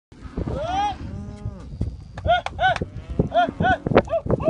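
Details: Angus calves at a livestock auction in 2017, several moos with rising then falling harmonic bellows, some short and repeated, mixed with shouts of people and crowd noise.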